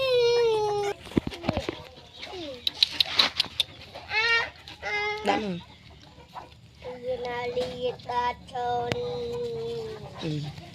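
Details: Newborn puppies from a litter of nine whine in long, steady, harmonic tones with rising and falling squeals and short cries between them; a few sharp clicks break in.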